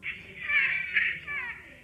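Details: A rabbit gives a shrill, high, wavering scream, drawn out like a child's cry, which rabbits make only when extremely frightened or in great pain, when they feel they are about to die.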